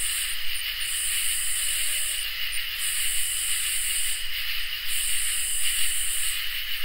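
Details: Summer night chorus of crickets and katydids: a constant high cricket trill underneath, while very high buzzy katydid phrases come in uneven bursts, some short, some lasting nearly two seconds, separated by brief pauses.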